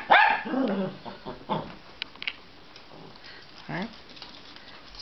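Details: Two Dachshunds, which bark to ask to go outside, give short, uneven high barks sliding into yelps, the smaller one barking just for fun, as people talk nearby.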